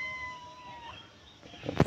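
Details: A white cat that has run away gives a long, steady, slightly falling meow lasting nearly a second amid low background rumble, ended by a sharp loud knock.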